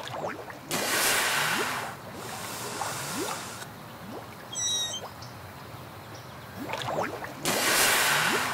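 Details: A West Indian manatee in a Caribbean river gives a brief, high, squeaky chirp underwater amid bursts of rushing water. Manatees use such chirps to communicate, most often between mothers and calves.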